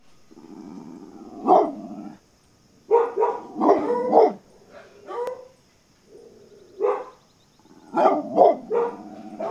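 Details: Coyote giving a run of short harsh barks and yelps in clusters, mixed with low rumbling growls between bursts, with brief silent gaps.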